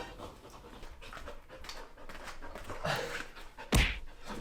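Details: Male Samoyed dog, born 2018, indoors at home, panting after play with a person is suddenly stopped: quick rasping breaths repeated about once a second, a person talking softly, and a sharp loud knock near the end.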